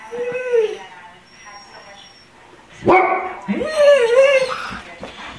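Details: Domestic dogs, a Golden Retriever and an Irish Setter among several, howling together like a coyote choir while another barks: a short wavering howl, then after a pause a louder rising and falling howl with overlapping voices and breathing.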